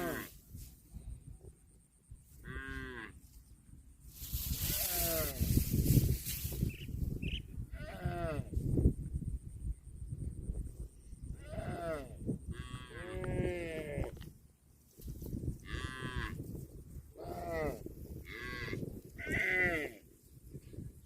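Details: Cattle (Bos taurus) moo repeatedly in long, low, harmonic-rich calls that rise and fall.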